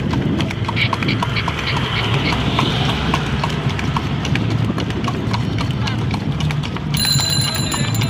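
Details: Night-time cart horse clopping steadily, dull knocking hoof strikes above a heavy low rumble, with a high ringing electronic beep joining in the last second.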